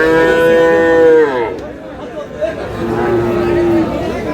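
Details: At Aftabganj market, Dinajpur, Bangladesh, among Friesian and crossbred bull calves, a long moo that drops in pitch at its end, then crowd chatter, then a second, fainter drawn-out moo.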